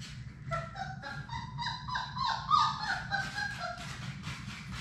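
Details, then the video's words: Sadie's Labrador Retriever puppies, a litter of six, playing together in a small play room; a chorus of wavering whiny squeals and short yips overlaps continuously, with a constant low rumble beneath. "Labrador puppies at play!"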